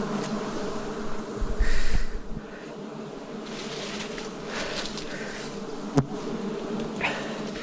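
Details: Massed wild bees hum through a forest honey harvest, 2026; the low drone holds steady beneath a loud rumbling thump early on and a sharp knock near the end.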